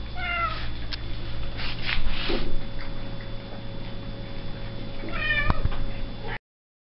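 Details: Domestic cat meowing twice indoors: a clear, harmonic meow at the start and another rising meow near the end, separated by soft rustling, all over a constant mechanical hum.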